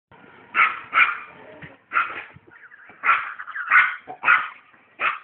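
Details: Dog named Chester, described as happy, giving a run of short, bright yips and barks in uneven bursts, some doubled, with brief quiet gaps between them.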